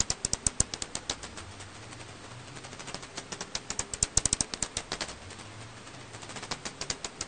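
A bat's calls come through as rapid, dry clicks in irregular bursts that quicken into dense runs.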